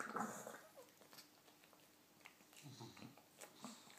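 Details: Alan the English bulldog opens with a short, loud, whining moan. Quieter snuffles and low grumbly murmurs follow at intervals.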